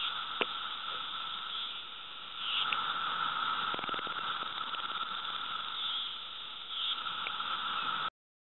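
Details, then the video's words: Loud chorus of periodical cicadas, Brood II, in North Edison, New Jersey, 2013, with sound levels measured above 109 dB. A steady, unbroken droning buzz holds one pitch throughout, with a few faint clicks. "Magicicada Cicada Sound Level Supercut - 109+ db"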